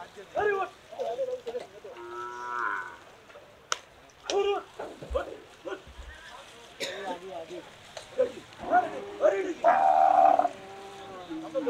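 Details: Cattle being unloaded, lowing repeatedly: a long tonal moo early on and a loud, sustained bellow toward the end, between shorter grunting calls, with people's voices and clattering in the background.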